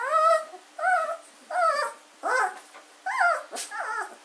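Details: Fourteen-day-old German Shorthaired Pointer puppy at Katelands gundogs, recorded 24 August 2016, giving clear drawn-out whines, each about half a second, bending up then down, repeated roughly every three-quarters of a second.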